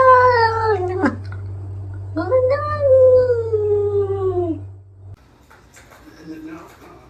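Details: Pet cat from a comedy compilation voicing two drawn-out meows, the first sliding downward and ending abruptly, the second rising then slowly falling, followed by quieter sounds and a faint shorter call; constant low hum beneath.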